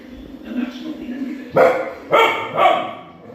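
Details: A Kanni dog barking at a lion on television gives three sharp, loud barks in quick succession, each about half a second apart.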